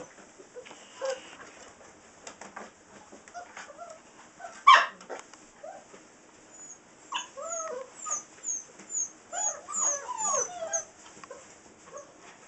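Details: A litter of Saint Bernard puppies, six weeks old, out of Ripley and Justice, whine in high, bending notes that rise and fall, repeated roughly every half second near the end, with scattered thumps and one loud knock.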